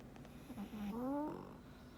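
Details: Black pug Frank, contentedly asleep, lets out a short nasal snort and then a drawn-out whistling snore that climbs steadily in pitch before ending abruptly with a breathy rasp.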